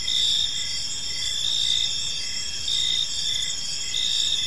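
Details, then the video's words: Evening park chorus of crickets: continuous shrill trilling overlaid by short regular chirps, about one each second, with no other clear sounds. "Park Serenade: Cricket Sounds in a Peaceful Park | Evening Ambience"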